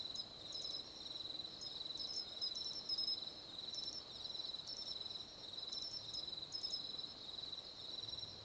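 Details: Pine cricket, nominate subspecies found on Japan's main islands, singing in clear, sharp, high bursts of short trills every few seconds over a steady high insect drone; its song is traditionally rendered as chinchirorin.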